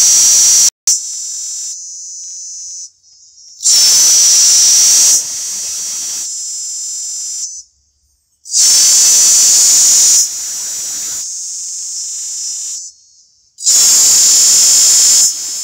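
A cicada gives loud, hissing buzzes in bursts, each a second or two long, with short pauses between.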